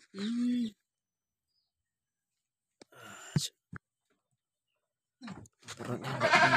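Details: Boer cross goat that later died before it could be slaughtered, giving one short, strained, harmonic bleat lasting under a second, followed by quiet, sharp clicks and then a burst of rustling noise.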